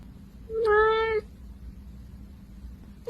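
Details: Kitten giving a single clear meow of about 0.7 seconds, steady and slightly falling, with rich harmonics, indoors in a quiet room with a faint low hum.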